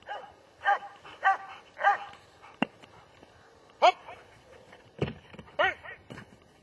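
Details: Three evenly spaced barks from a German Shepherd open the sequence, followed by sharp knocks and clicks, then another few barks of slightly falling pitch toward the end.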